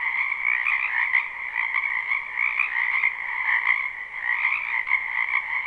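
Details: Croaking frogs in a spring wetland, recorded live: a continuous massed chorus of fast pulsed trills from numerous callers, level and unbroken throughout.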